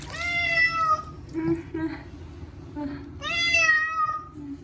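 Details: Two long, drawn-out meows from Chacha, a short-legged Munchkin cat screaming during his first bath in a year, with softer murmured cries and a gentle human voice between them indoors.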